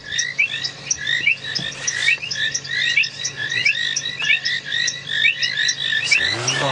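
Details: At dusk on a drizzly February evening at a dam in a South African game reserve, a dense frog chorus of overlapping short chirps, clicks and ticks, including painted reed frogs ticking, calling to reproduce.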